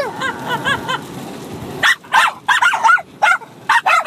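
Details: Bichon Frise puppy of six months and an older dog at play-fight: a short whiny, wavering yelp sequence gives way to quick sharp barks, about four in two seconds.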